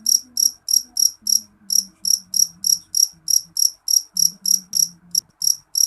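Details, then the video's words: Jeliteng cricket (jangkrik jeliteng) calling loudly: shrill, high chirps repeated about three times a second in a steady series, with a faint low hum underneath. "Suara jangkrik jeliteng nyaring"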